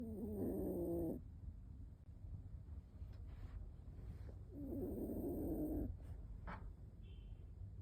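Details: Snoring from an 18-year-3-month-old toy poodle napping while home alone: two drawn-out, buzzy breaths with layered low tones, roughly four seconds apart, with quiet clicks and rustles between them.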